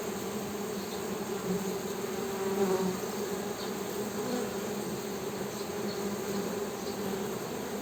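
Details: A swarm-like drone of honey bees humming, low and steady, swelling a little in the middle, with faint higher buzzes of passing individual bees.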